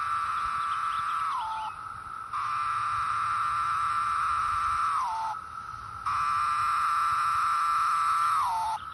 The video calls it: Cicada making a shrill droning noise